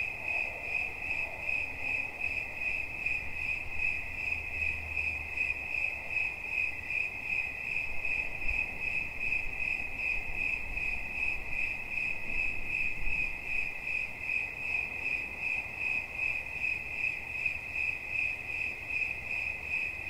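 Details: Cricket chirping in a rapid, even pulse on a single shrill pitch that holds unbroken. Low outdoor rumble in the background.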